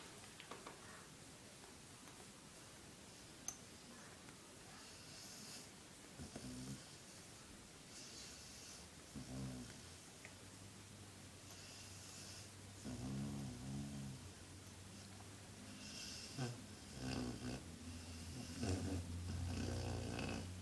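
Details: Arthur, a pet cat, purring while getting an ear scrub: a quiet, low rumbling throb that pulses steadily and grows stronger in the second half, with soft rustling and handling noises around it.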